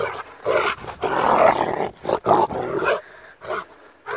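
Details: Attacking Rottweiler giving loud, rasping barks and snarls in irregular bursts, fading into quieter noise near the end.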